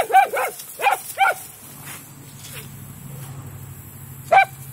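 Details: Several dogs having play time in a large yard: a quick run of four loud barks opens, then a low steady hum and near silence, ending with one more single bark.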